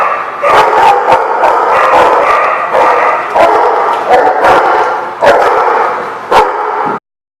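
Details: Dogs barking in a noisy group, recorded on December 18, 2015; steady overlapping barks and yips with sharper individual barks roughly once a second, ending abruptly just before seven seconds.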